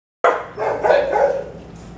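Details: Single loud dog bark with a drawn-out tail during a private obedience session, where a three-year-old Bulldog mix named Waylon trains near barking dogs.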